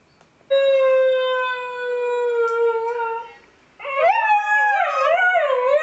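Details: A female Siberian Husky "sings" as her owner encourages her, giving a long, steady howl, then breaking into wavering, yodelling howls.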